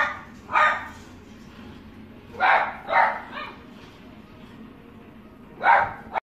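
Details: Sharp barks from a Maltese, spaced out: a single bark, then a quick double bark, then a last bark after a short quiet gap, over a low steady background.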